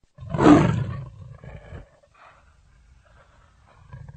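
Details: Leopard giving a single loud, deep roaring burst that fades into lower rumbling grunts, followed by quieter scattered growls and near silence.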